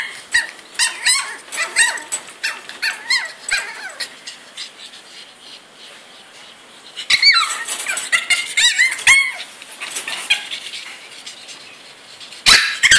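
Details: A three-month-old female pug puppy shut in a cage after eating a fish ball, upset and wanting out: rapid high-pitched yips and whines in bursts, busiest in the first four seconds and again from seven to ten seconds.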